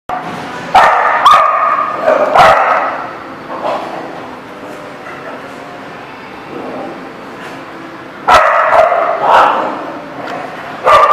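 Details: Dogs barking in a busy dog lot: loud, sharp barks in bunches, two near the start, one at about two seconds, then a renewed burst of several barks toward the end, with a lower murmur of activity between.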